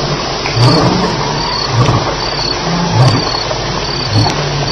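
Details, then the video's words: Lion grunts at night at Elephant Plains, July 9, 2010, after fighting: low, short, hoarse pulses about every 1.2 seconds, fairly soft, over a dense, continuous chorus of crickets. "Lions Fighting - Sounds at Elephant Plains"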